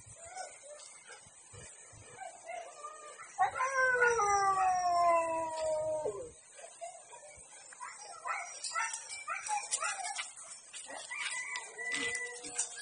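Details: Siberian Husky at a breeding kennel in District 12 during mating: one long, wavering whine-howl of about three seconds slides slowly downward, with faint yelps and scattered short calls before and after, and a steady high hiss behind.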